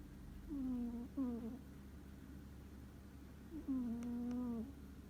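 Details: Deeply sleeping pet cat named Ku gives three clear snores indoors: two short, nasal, slightly falling ones close together, then a longer steady hum-like snore, with a soft tick near the end.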